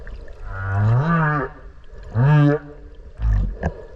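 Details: Whale heard underwater near Okinawa, recorded close by while swimming: deep rising harmonic moans, two long swelling upsweeps followed by a shorter grunt-like pulse, all loud and close.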